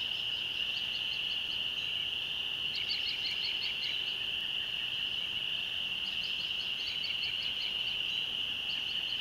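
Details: Spring peepers calling at dusk near a rural church in the country, where they emerge each year at this season; a dense, steady high-pitched peeping chorus with bursts of faint higher chirps layered over it.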